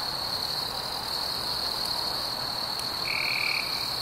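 Crickets keep up a steady, high, shimmering trill on a summer night.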